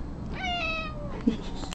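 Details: House cat joining its owner's happy birthday singing: a clear meow begins abruptly, holds steady and gently falls over roughly three-quarters of a second, followed by a brief low thump and faint voice sounds.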